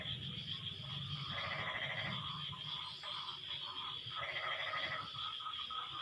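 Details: Frogs in an exchange of calls after rain: two nasal, pulsed bursts about three seconds apart, with short clipped notes between them and a continuous shrill hum in the background.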